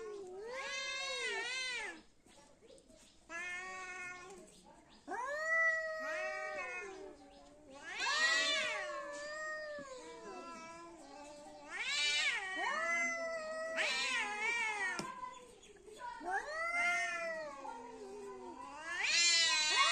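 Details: Two fighting cats keep up a nearly continuous series of harsh, wavering yowls, each rising to a shrill peak and sagging into a moan, with brief pauses between outbursts.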